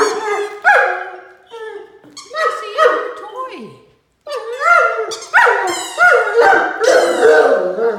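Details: A male Great Dane puppy howls in excited bursts of wavering, whiny notes that rise and fall while playing indoors with his mouse squeaky-toy ball, and is told to use his indoor voice.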